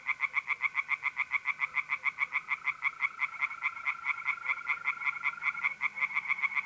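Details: Tree frogs singing by night in an April pond in north-east Italy: loud rasping croaks from overlapping callers, unevenly timed, with the continuous high trill of mole crickets running through.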